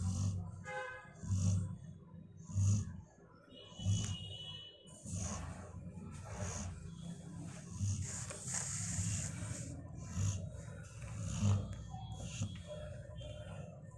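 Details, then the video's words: Sleeping female Labrador Retriever named Perry snoring in slow, regular cycles, each a low throaty rumble with a breathy whoosh, roughly every 1.3 seconds, over a quiet room with faint background tones and a brief rushing noise mid-way. "Perry making a noise ... when she was sleeping"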